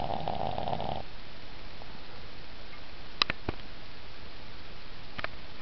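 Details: Cooper, a dog napping on a bed, snores very loudly: a harsh rasping snore fills the first second, then a steady low rumble continues with a few faint clicks.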